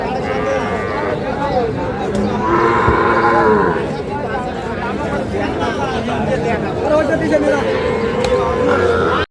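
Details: At the busy Ambari livestock market in Parbatipur, Dinajpur, Sahiwal bull calves are sold on 11 May. A drawn-out moo rises over constant human chatter and crowd noise, and fainter lowing follows near the end.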